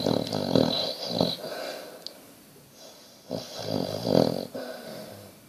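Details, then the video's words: Sleeping Basset Hound snoring indoors: rough, rumbling snores in uneven bursts with snorting breaths, two louder groups separated by a quieter pause, plus a faint brief click. "Snoring basset"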